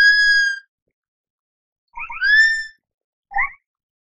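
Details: Sloth call: three clear whistled notes on a silent background. The first is a long, flat, high whistle. The second rises and then falls, and the last is short and wavering.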